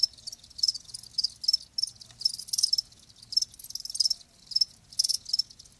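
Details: Live crickets chirp in short high-pitched bursts, about two per second, each a quick cluster of pulses separated by quieter gaps.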